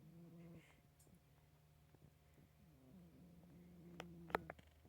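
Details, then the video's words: A pet cat named Marvin snoring while asleep indoors: a soft, low, rhythmic rumble repeating in slow breaths, with a faint click near the end. "My Cat Marvin Snoring"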